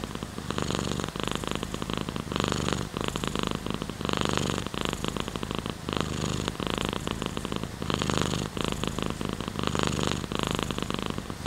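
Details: Purring cat, its low, rapid throbbing rumble partly buried under dense, continuous rain-like noise that stays loud across the whole stretch.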